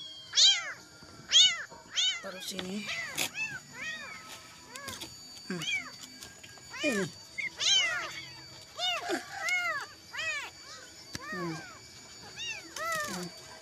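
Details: Kitten crying all night in search of its mother, trembling: a run of high, thin, arched meows, each rising then falling, about one per second with uneven gaps, some faint and some loud, over a quiet background.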